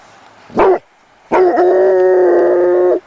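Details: A single short yelp from a Basset Hound puppy, then a drawn-out, even, harmonic howl lasting about one and a half seconds.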